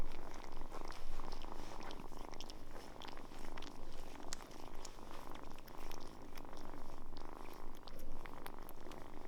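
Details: Close, continuous purring from kittens that soon open up to people: a deep, rough rumble rising and falling with each breath, roughly one cycle per second, over light rustling handling noises.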